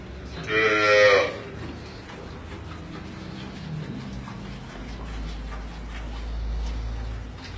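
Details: Holstein cow during milking: one loud, harmonically rich moo lasting about half a second near the start, followed by low steady rumbling background hum and faint barn noise.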